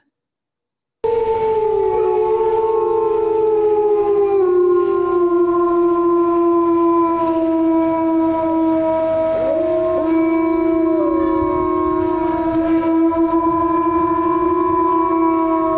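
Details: Several timber wolves (gray wolves) howl together in Manitoba in long, steady, overlapping tones that slide slightly in pitch, heard early in the morning.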